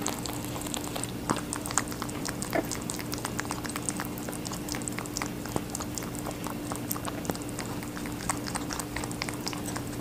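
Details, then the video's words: Pet rabbit munching on watermelon: dense, juicy crunches and clicks come in a constant irregular patter, with a faint steady hum behind. "Rabbit eating a watermelon"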